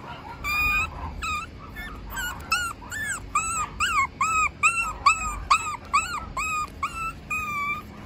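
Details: Male puppy with an unusually patterned coat whimpering: a quick run of high, arching whine notes, roughly two per second, some longer and steadier, over a faint low hum.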